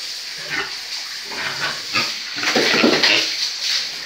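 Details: Grunting from breeding pigs kept on a farm: quick harsh noisy pulses, several per second, growing louder near the end, with a constant high hiss behind them.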